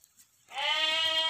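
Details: A large breeding ram, about 90 kg and said to be the biggest sheep in its village, gives one steady, nasal, harmonic bleat starting after half a second of quiet and holding to the end.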